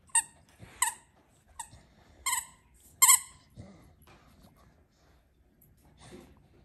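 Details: Begging for toys at home in Alaska, two Staffordshire Bull Terriers, talkative Piper aged 10.5 and Taz aged 12, let out five or six sharp, high-pitched squeaky whines, then a few softer, fainter ones.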